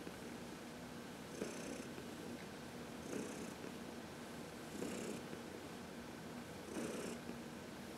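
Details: Heidi, an elderly domestic cat, purring as she is massaged in the sun on March 19, 2021; throaty purr pulses arrive roughly every one and a half to two seconds in a calm indoor setting.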